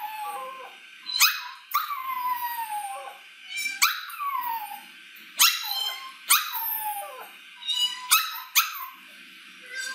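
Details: Puppy learning to howl: high whining cries that rise sharply and then slide steadily downward, repeated in short bursts about every second or two, with some yipping between them.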